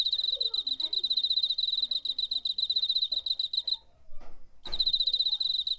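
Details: Cricket in September 2019, recorded with a DR-05, trilling loudly and almost continuously in rapid high pulses, one short pause midway, with faint lower murmurs underneath.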